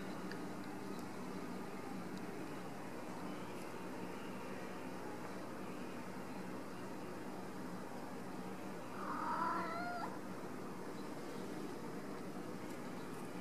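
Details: Ragdoll kittens raised in a home cattery in central Kansas without cages; a single short, wavering meow with bright harmonics sounds about two-thirds through, otherwise a steady background hiss and hum.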